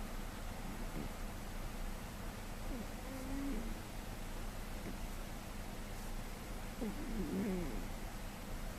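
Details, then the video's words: GhostCat, a male domestic cat and very heavy sleeper, snores in May 2013, not at his loudest; low rumbling breaths carry brief squeaky nasal whistles near three and seven seconds over a steady low hum. "Snoring Cat"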